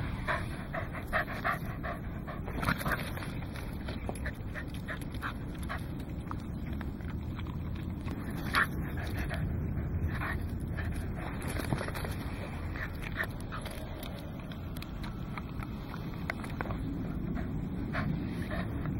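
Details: Welsh Corgi playing with a ball, recorded 21 November 2009 on a Casio Exilim EX-F1 camera; steady rapid panting breaths run throughout, with scattered sharp clicks and knocks from play and a low background rumble.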